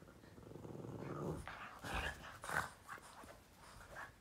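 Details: A Boston terrier playing with its owner's foot grumbles with a low growl, then gives a few short, sharp barks.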